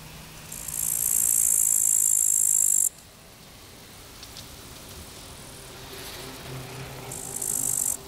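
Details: Field grasshoppers by the Zawady embankment on the Vistula, 15 August 2021, give a thin, very high hissing buzz for over two seconds that stops abruptly, then after a quiet pause with faint hum a shorter burst.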